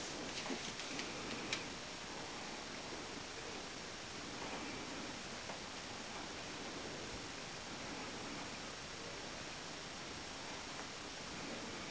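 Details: Even background hiss with soft rustling and a few light clicks early on, with no animal voice heard.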